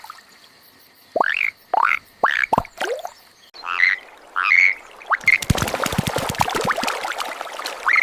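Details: A rare yellow-coloured Indian bullfrog calling: short, nasal croaks that swoop upward, followed by splashing and crackling water sounds.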